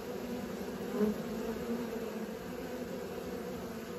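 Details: Honey bees practising flight give a continuous layered buzzing drone, low and even, with one slightly louder pass near the middle.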